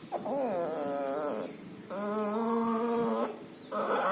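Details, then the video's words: Puppy suffering from pneumonia and distemper, with loud breathing and nasal discharge; long drawn-out wavering moans last over a second each, with brief gaps, ending in another rising moan. "Puppy has pneumonia and distemper. Loud breathing noise and nasal discharge."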